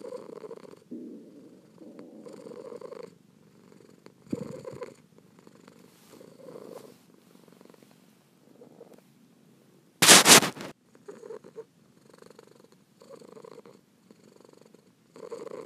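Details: Kitten purring softly in low rumbling bursts that swell with each breath, quiet gaps between; a sudden loud broadband crackle cuts in briefly near the tenth second.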